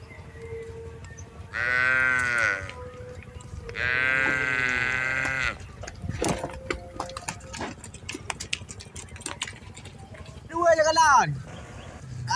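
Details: Tame cattle being herded in a rice field: two sustained, even-pitched calls about a second each, spaced two seconds apart, followed after clicking and crackling noise by a shorter wavering call.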